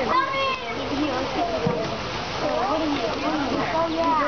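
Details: On the first day of spring, a crowd of sea lions gives arching, wavering barks and groans that overlap constantly, while water splashes nearby.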